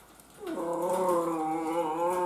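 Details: Miniature Schnauzer puppies from the Holiday Celebration litter, playful and energetic, give a single drawn-out, tonal whine that starts with a brief dip and then holds steady and strong for almost two seconds, rich in harmonics, with a quiet room behind.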